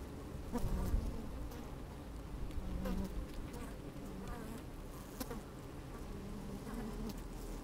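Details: Microphone lowered into an opened hive of busy honey bees on a sunny, breezy day picks up a deep rumbling hum, brief buzzes rising and fading, and intermittent sharp crackles.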